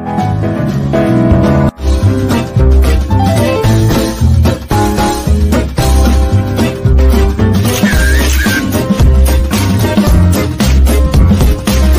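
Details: Loud, dense music fills the whole stretch, bass-heavy with steady beats and layered instruments. No animal voice stands out above it.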